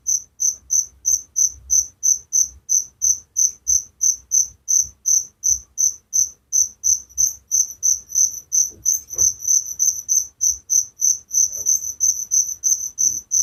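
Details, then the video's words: Steady cricket chirping at night meant to lull listeners to sleep, crisp shrill pulses close to three each second, later overlapping with a second faster chirper, faint low background noise. "Suara Jangkrik penghantar tidur || Relaxing sound of crickers"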